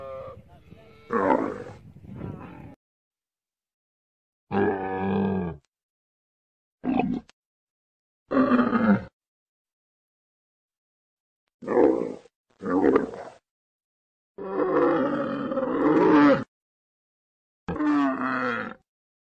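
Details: Camel making a series of short, rough grunting and gurgling bursts separated by pauses of a second or more, some longer bubbling moans toward the end.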